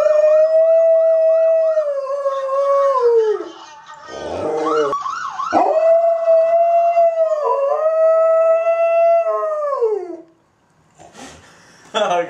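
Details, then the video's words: Kody, a pet dog that howls whenever he hears police sirens, gives long, steady, drawn-out howls that sag in pitch at the ends, with a short pause midway; a wailing police siren rises and falls behind him, and laughter follows. "Dog Howling at Police Sirens"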